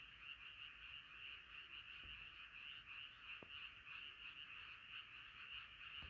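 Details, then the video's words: Night frog chorus from many frogs singing together, a thick wall of rapid overlapping croaks holding steady, with a couple of brief soft clicks near the middle. "자연의 소리 개구리소리"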